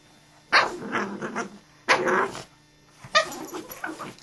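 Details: Dogs named Pork and Bean fighting: three harsh, broadband growling snarls in bursts, each about half a second to a second long and spaced roughly one to one and a half seconds apart, with quiet gaps between.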